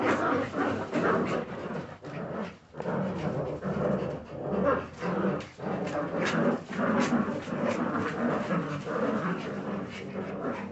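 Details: Jagdterrier puppies making a dense, continuous mix of rough growls and grunts, with short pulsed bursts about every second and a brief lull near two seconds.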